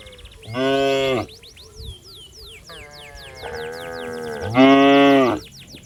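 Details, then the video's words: A calf looking for its mother among fat, healthy cattle wandering a watery rice field: two strong, steady moos with a softer lowing between them, and repeated high bird chirps in the background. "Suara Sapi Sedang Mencari Induknya"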